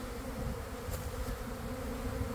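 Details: Swarming honey bees clustering on a boxwood bush in a garden on an afternoon after cold, damp weather, recorded from inside the swarm; a constant, rich droning hum with one sharp tap midway.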